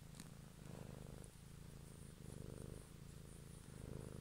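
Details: Pet cat purring up close during an evening ASMR recording; continuous low, grainy rumble swelling and easing in slow breathing cycles, with faint high hiss in the background.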